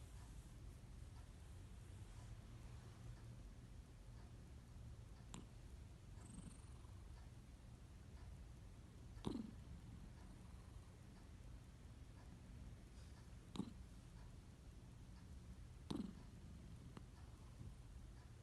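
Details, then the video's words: Mill, a cat that snores every time he sleeps, breathing in a low continuous rumble, with a few faint clicks and taps in the room. "Snoring cat"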